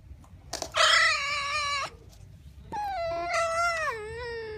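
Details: A pouting pet red fox gives two drawn-out, harmonic whining cries, the first loud and steady, the second wavering and then sliding downward, with quiet room noise between them.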